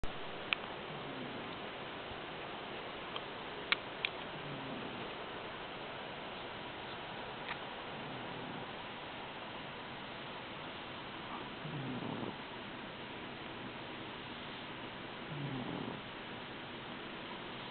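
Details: Sleeping cat, often a snorer, blind in its right eye after being hit by a car, which stays half-open. It gives soft, low, breathy snores every few seconds in a quiet room, with a few faint clicks.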